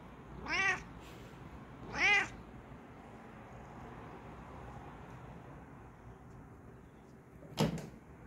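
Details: Bengal cat posing for the camera indoors utters two clear harmonic meows about one and a half seconds apart, followed later by a sharp knock against steady background hiss.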